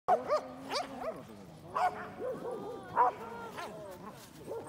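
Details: Pembroke Welsh Corgis, including sisters and brothers, play at a dog run, giving sharp, high barks and yips in irregular bursts.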